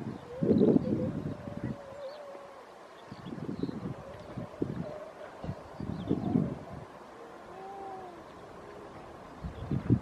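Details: Grey seals at Donna Nook, Lincolnshire, on 5 November 2018, early in the pupping and mating season: bursts of low, rough grunting calls alternate with thin, wavering tonal moans, several animals calling in short overlapping phrases.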